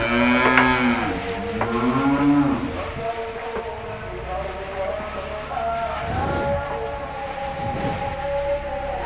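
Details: Cows in a cowshed while being fed grass, mooing in two long harmonic calls, the second bending downward, followed by fainter lowing and background hum.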